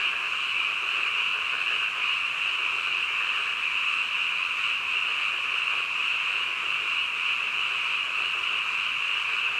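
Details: Frogs croaking together at midnight, blending into a seamless, steady high-pitched trill that never breaks or changes in strength throughout.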